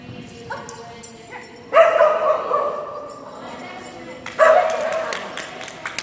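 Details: Kerry Blue Terrier named Phenix during agility class, June 4 2019, gives two strong, harmonic-rich barks about two and a half seconds apart, with a faint human voice at the start.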